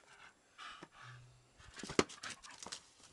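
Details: Dog named Archie panting during a game of ball, soft breathy huffs at first, then a louder cluster of rapid rasping breaths after a sharp knock; a man's praise follows.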